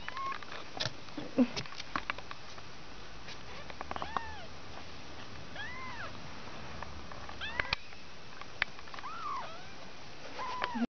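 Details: A litter of five two-week-old kittens mews repeatedly: thin, high, arching meows spaced a second or two apart, some overlapping as several kittens call, with soft rustling and tapping in between.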